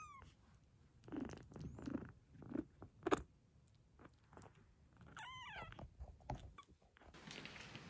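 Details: Sickly rescued silver tabby kitten, taken in after an emergency SOS from Tokyo, on a rebellious hunger strike: a couple of short, high, wavering meows with rich overtones, one near the start and one midway, among rustling, tapping and handling noises indoors.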